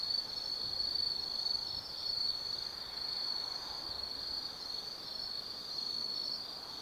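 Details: Forest insects on an autumn night at Tsukimi no Mori, Nannō, Kaizu, Gifu Prefecture, Japan, heard from a high lookout above the Nobi Plain: a continuous, piercing, high-pitched ringing trill that swells and fades slightly.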